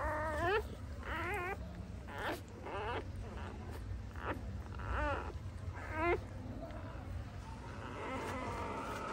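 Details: A home birth of nine puppies to a female pointer dog. Short, shrill, wavering squeals repeat about every second, loud and uneven, fading into softer whines toward the end with low room noise beneath.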